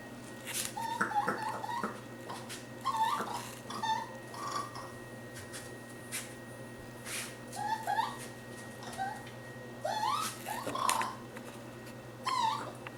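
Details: A young raccoon lost in a kitchen in early July 2013, being soothed by a person: scattered short, high chirps and twittering squeaks, some rising sharply, over a steady low indoor hum.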